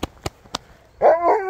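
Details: Siberian Husky overexcited by a surprise visitor: three sharp taps, then a loud, wavering, strongly harmonic whine that swells, dips and rises again over about half a second.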